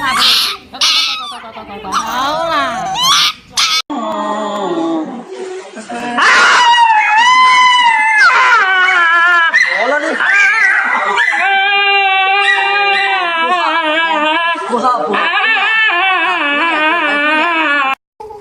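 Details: Dog getting an injection, letting out loud, wavering harmonic cries that rise and fall, running almost continuously through the second half; a person speaks soothingly in Chinese over the first seconds.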